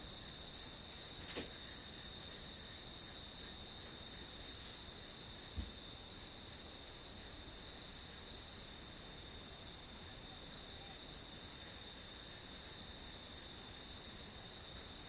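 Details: Grass insects calling steadily for study white noise, a sustained high pulsing chirp at about three pulses per second, interrupted by a couple of faint clicks or taps.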